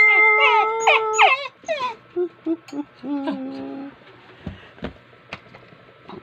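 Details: Pet dog 'talking' with a run of wavering howls and short woo-woo yelps, fading into quieter whines and scattered thumps, with music and a person speaking Tagalog nearby.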